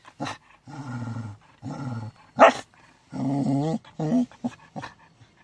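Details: Shetland sheepdogs making low, drawn-out grumbling, talking-like sounds in bouts of about half a second, with one sharp sneeze-like burst in the middle.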